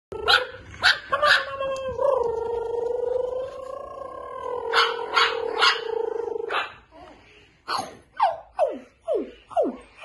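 A Pomeranian puppy gives a long wavering whine, then a run of short, sharply falling yelps.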